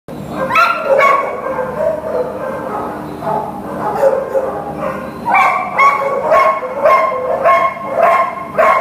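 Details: Lily, a Greater Swiss Mountain Dog in a shelter awaiting adoption, gives bursts of short, harmonic yipping barks, several in quick runs, with a steady low hum behind.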